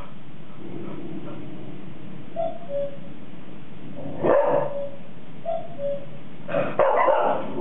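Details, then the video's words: Two 4-month-old Golden Retriever puppies, Bonet and Frosty, answering an artificial cuckoo chime: two-note chime tones twice, each followed by short sharp barks, the second a quick double burst. "Two Golden Retriever Puppies and One Cuckoo Chime"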